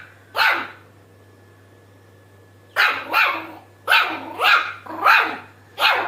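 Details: Shih Tzu puppy making its first laugh-like sounds: six short, breathy, high yips, one alone and then a quick run of five, each rising and falling, against a faint steady hum.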